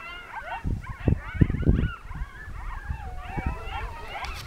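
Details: Pack of coyotes singing in the mountains of Northern New Mexico on an evening as a monsoon storm starts to roll in; overlapping wavering yips and quavering howls rise and fall, with low rumbling thumps beneath.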